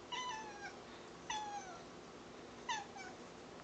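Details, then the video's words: Domestic cat making unusual sounds likened to dolphin clicks: three short, bright, harmonic chirps, each sliding downward, spaced over a second apart against a quiet indoor background. "Cat speaks in dolphin clicks"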